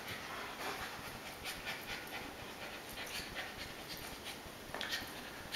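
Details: Breathy, rapid panting from adult American Akita Tomo while she entertains her little puppy brother Shima, rising in short airy bursts, with a faint thump of play movement near the end over a quiet background hiss.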